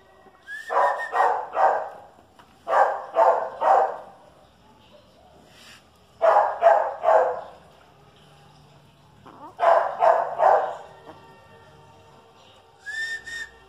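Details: During a Chihuahua versus dachshund encounter, quick barks come in clusters of two or three, with short pauses between the bursts. A faint, high, thin yelp can be heard near the end.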